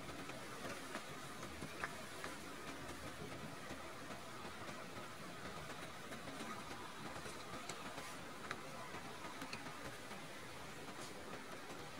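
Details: A quiet, steady background hum with a few faint clicks, and no animal voices.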